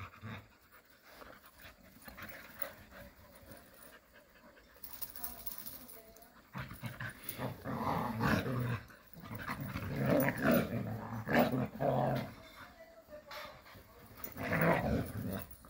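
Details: Jindo dogs playing happily together in the countryside; rough, low growls and huffing pants come in irregular bursts, quiet for the first six seconds, then louder and busier toward the end.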